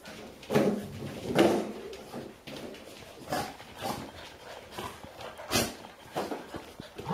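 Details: Golden Retrievers indoors in Haute-Savoie, France, October 2013: a five-year-old female in a puppy playpen, trying to get away from her daughter's eight-week-old puppies who follow her for milk. Short whimpering dog sounds, several loud, among scuffling and movement noise.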